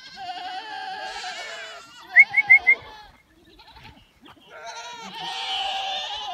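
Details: Goats being let loose in the Dominican Republic, loud drawn-out quavering bleats at the start and end, separated by a quick run of four sharp chirps and a near-silent gap.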